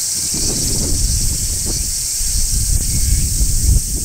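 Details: On a tree in midsummer, a large brown cicada shrills without pause, an even, piercing buzz, while heavy low rustling and scraping sounds from leaves and handling run beneath.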